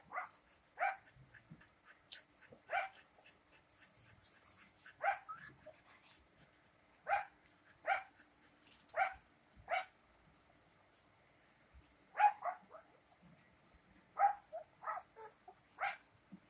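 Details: German Shepherd puppies, double-coated, produce repeated high, yappy barks and yips roughly every second or two, several pups calling with uneven rhythm over a quiet background.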